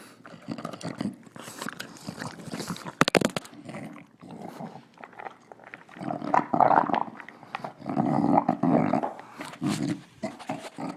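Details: Nila, a female English Bulldog, snorts and snarls through her dinner: harsh nasal snuffles and gravelly growls come in uneven bursts, with sharp clicky sounds near the third second and louder growling swells toward the end.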